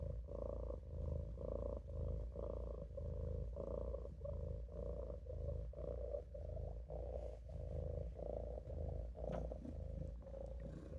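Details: Napping in a sink, Maine Coon kitten Olof keeps up a soft rhythmic purr, a low buzzing drone pulsing steadily with each inhale and exhale.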